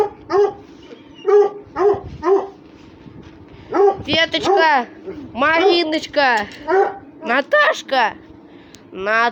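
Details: Russian Hounds playing and fighting together, giving a dense run of harmonic whines and yelps, many bending downward, in rapid bursts that crowd together in the second half, with occasional human voices nearby.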